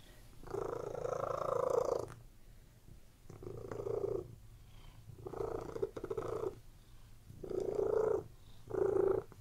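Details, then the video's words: Domestic cat purring while lying on a bed, a relaxed scene: rough rumbling purr pulses in five bursts about every two seconds, with a steady low hum underneath throughout. "CATS PURRING RELAXING CAT VIDEO"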